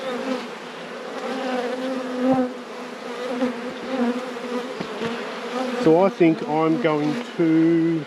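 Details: Honey bees in a beekeeper's apiary at peak production after two years of struggling: a steady, low droning hum holds for most of the stretch, with a person's voice breaking in near the end.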